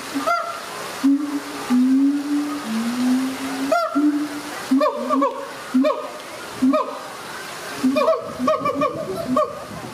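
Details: Siamang family at ZooTampa in Tampa, Florida, mother Hutan and father Sensei duetting to strengthen their bond, baby Kazuki present: long wavering hoots, then a run of short, sharp, ringing barks repeated roughly every half second, with some faint splashing.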